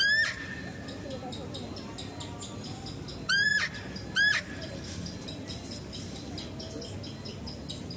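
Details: Squealing calls of a female deer at a zoo while a male deer is fed nearby. A faint cry opens the recording, then two loud, harmonic-rich squeals come about a second apart, over low background murmur.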